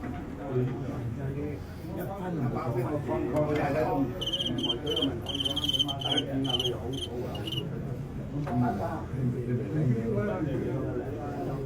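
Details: Fighting crickets filmed live during a bout: bright, regular chirp pulses repeat rapidly for about three seconds mid-recording. Men talking in Cantonese run throughout and mostly cover the insects.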